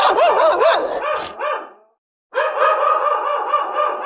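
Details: Angry dogs, recorded for real: loud tonal howls that waver rapidly up and down in pitch, fading out before a brief silence, then resuming as a steadier, strongly harmonic wobbling whine.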